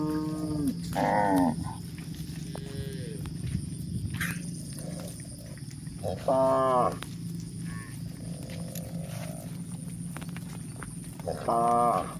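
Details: Grazing village cows in a pasture herd give short, nasal, harmonic calls in three bursts spaced several seconds apart. Quieter gaps between them hold a low steady hum, faint rustling and a thin high whine.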